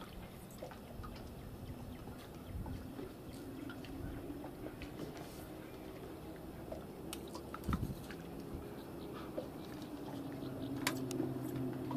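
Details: Indoor water sounds, with drips, splashes and soft chewing-like clicks over a steady low rumble. Sharper knocks come near the eighth and eleventh seconds, and no clear animal voice is heard.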